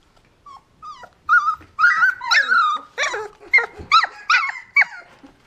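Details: Golden Retriever puppies, 20 days old, playing with their siblings, give thin, high, squeaky whimpers that bend in pitch, with short squeals and yelps about two a second, some rising sharply, others sliding down.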